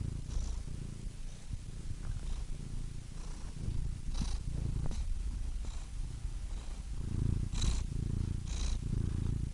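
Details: Domestic cat purring steadily, a low rumbling drone with rhythmic swells as breathing alternates in and out, soft airy breath noises rising between cycles.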